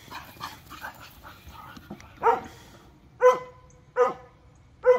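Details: Bonny, a Bull Terrier mix, wrestles roughly with Waylon, an Airedale pup, and Lucy, an Airedale, over a detergent bottle on a rope. Snuffling and scuffling, then four sharp barks, roughly one per second.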